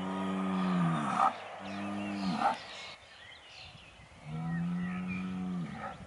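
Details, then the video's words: Aubrac bull calling at a farm campervan area near Laguiole: three long, deep, rich bellows, each ending in a strained upward-rising note. The final bellow is the longest, with a quieter lull before it. "LA RACE AUBRAC - L'APPEL DU MALE"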